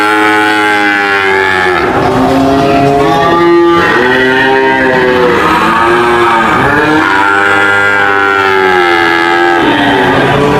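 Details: Repeated cow moos in quick succession, each a drawn-out harmonic call that swells and bends in pitch, several animals seeming to overlap, with a rough, loud background throughout.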